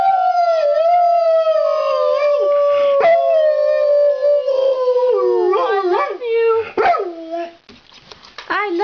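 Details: Group howl by Duke, a talkative pet Labrador Retriever: a long steady howl held for several seconds and gently falling, breaking into wavering, warbling bends and short rising yelps near the end, with human voices joining.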